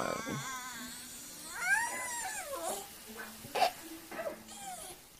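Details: Jack Russell Terrier sitting politely indoors and 'talking' to his owner about something he wants: wavering, whiny yodel-like moans with rising and falling pitch, a few short squeaky bursts, over faint background noise and a low hum.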